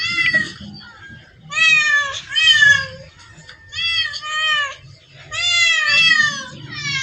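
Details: Several cats in a crowded cat spot call with long, drawn-out meows, some paired back to back, bright harmonic tones over low background rumble and faint voices.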